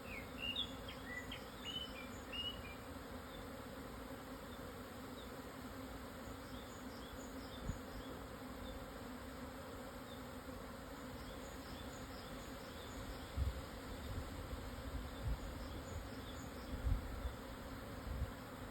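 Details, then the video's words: Swarming Japanese honey bees relocating near noon on 17 June 2024 at 1054 m, Hokuto, Yamanashi, Japan; an unbroken low drone fills the scene, a short burst of bird chirps early on, and a few soft thumps later. "【日本ミツバチ】 のお引越し〜◆ 分蜂 に出会えました♪"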